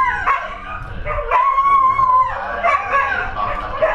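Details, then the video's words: Dogs at Kanchanaburi train station in Thailand howling in response to the public address announcements: a wavering, drawn-out howl rising and falling over a dense mix of yips, whimpers and loudspeaker sound. "Dogs Howling at Train Announcements"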